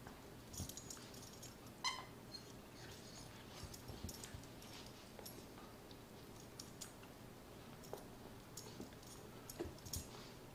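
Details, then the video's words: Sarah, a Miniature Poodle, cries while tearing at her toy fox, Mr. Fox; a short high harmonic whimper near the start, among scattered soft clicks, chewing and rustling in a small quiet room. "Sarah Miniature Poodle cries while killing Mr. Fox."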